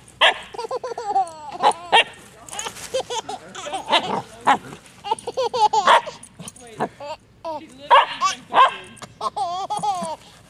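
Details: Sandy, a Cavachon puppy (Cavalier King Charles Spaniel × Bichon Frise cross), barking to get a child to play and chase her; short, high yappy barks come in scattered bursts across the clip, mixed with people talking.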